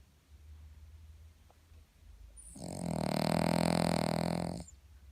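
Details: Cavalier King Charles Spaniel snoring loudly: soft low breathing, then one long, rasping, harmonic-rich snore of about two seconds that swells and cuts off abruptly.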